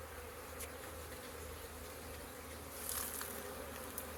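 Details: Honey bees swarming around a busy hive in late April, a continuous low droning hum with layered tones, brief high ticks and a soft rise in loudness near the end.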